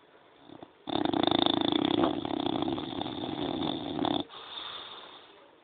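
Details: Sleeping French Bulldog gives one long, heavy snore lasting about three seconds, a harsh rattling rasp with a steady low drone, followed by a softer wheezy breath.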